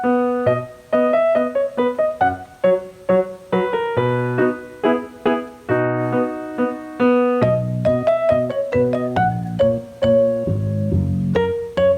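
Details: Piano melody with steady, ringing keyboard notes and chords played throughout, with no animal voices audible.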